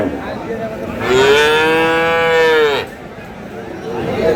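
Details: Bull calf of Friesian or cross breed being traded at Aftabganj market, Dinajpur, on 7/6/26. A single drawn-out moo of nearly two seconds, gently arched in pitch, rises above a murmur of crowd chatter.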